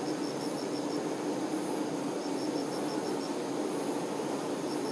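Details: Worker honey bees attending the queen make a continuous, even droning buzz, with short bursts of quick high pulsed chirping repeated over it.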